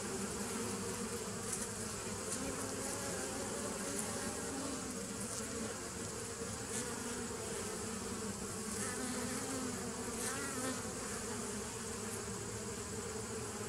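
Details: Steady multi-toned buzzing of many bees from 27 September 2018, with a few brief higher whines flickering over the continuous low hum.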